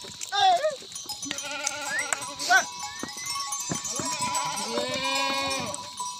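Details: Himalayan goats at a goat farm in the jungle, Uttarakhand village, India; several quavering, wavering bleats overlap at different pitches, with clicks, rustling and a faint steady hum throughout.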